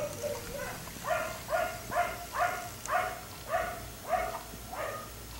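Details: Black Lab kept outside late into the night, barking in a steady run of about nine evenly spaced, ringing barks, somewhat distant, with faint background hiss.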